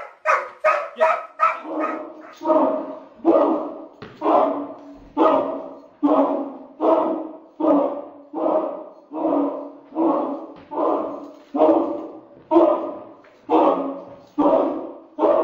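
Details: A Doberman chasing another dog around a kitchen on a slippery floor; a steady run of harsh, mid-pitched barks, roughly one per second, fast and clipped at first, then fuller and evenly repeated.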